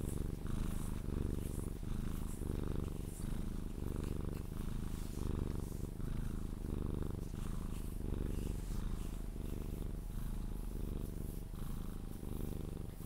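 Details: Close, loud purring from a Sphynx cat being cuddled before sleep, a deep vibrating rumble swelling and easing with each breath roughly every second across the whole stretch.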